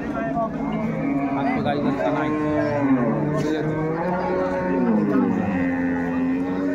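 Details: Cattle at the Ambari livestock market in Bangladesh, 21 May 2024, where dairy cows and calves are traded: low, layered lowing blends with a busy crowd of voices throughout.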